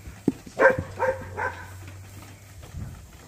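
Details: Month-old Dorset bottle lambs on a working sheep farm in Ontario, Canada, calling while being bottle-fed; three short nasal bleats in quick succession over a steady low hum, with a soft thud beforehand.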